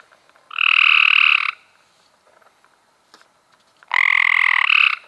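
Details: Cope's gray treefrog calling in May 2016: two harsh, buzzy trills, each about one second long, separated by a short quiet pause.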